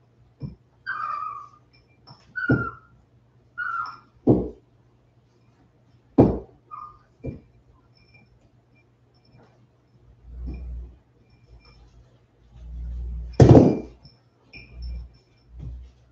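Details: Indoor West Highland White Terrier puppies aged 47 days, back from an outdoor break, give a run of short high whines, each followed by sharp yips, then soft low thuds and one loud yelp near the end.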